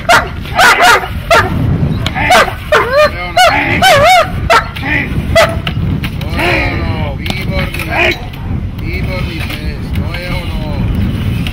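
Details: Dog barking during protection training: rapid, loud, harsh barks in tight bursts over the first half. Fainter, continuing barks and shouting human voices follow.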